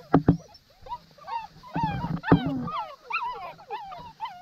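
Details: Seven-week-old AKC purebred Saint Bernard puppies, raised on a Christmas tree farm, being fed and watered: a dense chorus of high, arched whines and whimpers, many overlapping and rising then falling, with a person calling encouragement and a few thumps.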